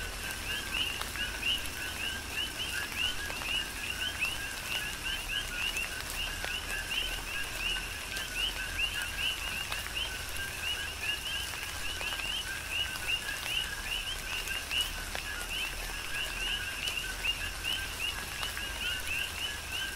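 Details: A dense chorus of coqui frogs fills a tropical rain shower on the Big Island, Hawaii, countless overlapping two-note chirps with upswept whistled endings pulsing steadily, backed by constant rain and occasional drip sounds.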